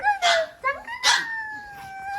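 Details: Maltese dog 'talking back' while being fed cookies: a run of drawn-out, whining yowls that rise and then hold steady, broken by short noisy bursts, with music playing in the room.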